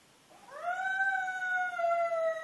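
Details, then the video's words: A dog named Gamble gives a single howl that rises smoothly from low and settles into a long, clear, sustained note, drifting slightly downward. No other sounds are heard. "Gamble howling"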